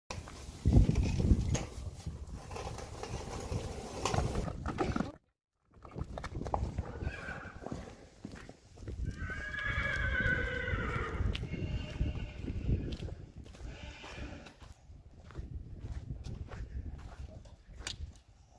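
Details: One-year-old Friesian horse among four yearling Friesians kept with a Haflinger; a wavering, harmonic whinny of about two seconds rises out of rustling and thumping movement, after an earlier brief silence.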